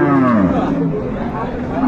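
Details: A dairy cow or calf at the Ambari cattle market in Dinajpur, 25/8/25, lets out a brief moo that drops in pitch, with a faint second call and men bargaining nearby.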